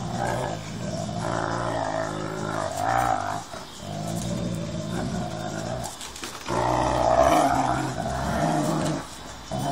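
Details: Building-site brawl between a staffy and a husky, heard as sustained deep growls and snarls rising into louder rough bursts, with short gaps between bouts.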